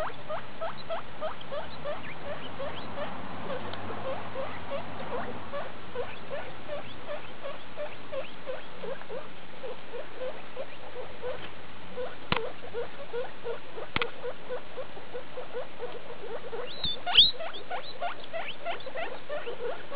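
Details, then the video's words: Skinny guinea pig Daisy with her babies, litter E2 born 2 August 2012, at CHS Luna on 19 August 2012; dense series of brief upward squeaks and chirps, a few sharp clicks, constant low background hum. "Morčata z CHS Luna 19.8.2012 skinny Daisy a její mimča."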